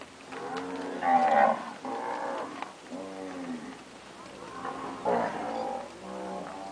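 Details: Calved purebred Nelore cows call in a series of moos, several short and some longer and louder, one after another with brief gaps between them.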